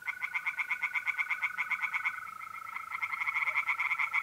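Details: Night chorus of tree frogs in a pond, north-east Italy, April: near-continuous, rapid pulsed croaking with a faint pause midway, accompanied by the constant high trill of mole crickets.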